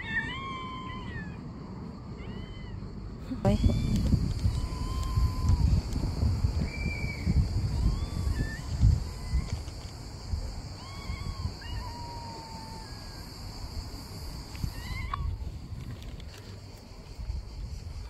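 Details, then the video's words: Rescued stray mother cat, described as angry, crying along with her kittens: repeated short curved meows, some drawn out and falling, scattered irregularly, over loud low rumbling noise and a steady high electronic-sounding hum. "The Angry Cat Mom"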